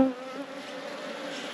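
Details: Hive of honey bees buzzing as frames are moved in an apiary, a steady hum with clear tonal bands around the low-mid range, opening with a brief brighter tone.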